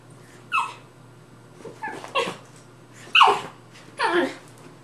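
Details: Rat terrier playing with a Maltese/Yorkie mix: four short broadband yips and growly barks about a second apart, rough and noisy with brief harmonic streaks, over a steady low hum.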